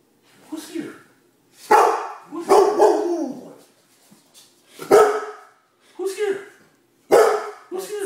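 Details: A female Great Dane asking for dinner, barking in short deep bursts about once a second or two, with a person's voice talking to her in between.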